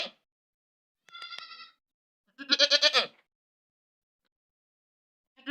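A goat lets out loud, harsh screaming bleats, one thinner and one raspy and wavering.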